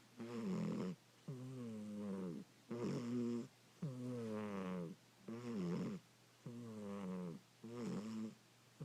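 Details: Sleeping domestic cat snoring indoors: seven drawn-out, tonal, slightly falling groaning breaths, one roughly every 1.3 seconds, separated by short quiet gaps, over a steady low electrical hum.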